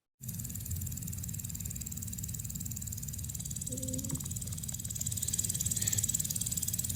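A grasshopper gives a dry, steady, motor-like buzz of fast pulses, over a low rumble of background noise.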